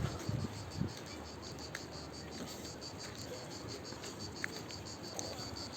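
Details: Cicadas singing in the calanques near the beach at Sainte-Croix, La Couronne, Martigues, at the end of August: a steady, faint high buzzing drone with pulsed bands running throughout, under wind and a few bursts of people talking.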